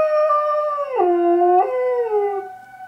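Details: Pet dog Rookie howls along with an air raid siren. The sustained, wavering wail drops sharply in pitch, holds low, then jumps back up before sliding gradually down as the siren's tone continues.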